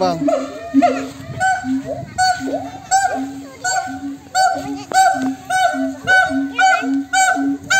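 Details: Monkeys calling back and forth to each other: loud, harmonic, arching whoops overlap with short steady low hoots, repeated in bursts about twice a second and rising and falling in volume.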